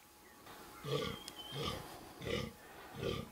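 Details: A fallow buck with little palmation, pointy antlers and good guard tines gives deep, belching groans roughly every seven-tenths of a second during the 2014 rut.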